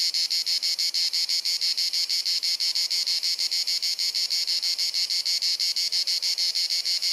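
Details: A cicada sings on a hot sunny summer afternoon in Dalmatia, Croatia: a shrill, continuous, metallic buzz that throbs about three times a second in a steady, incessant rhythm.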